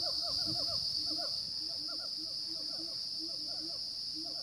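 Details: Siamang gibbons recorded on the morning of 5 June 2016 on the dormant volcano Rajabasa, south Sumatra, 900–1100 m up. Clustered quick hooting notes in bursts with softer low tones, all under a steady shrill insect chorus.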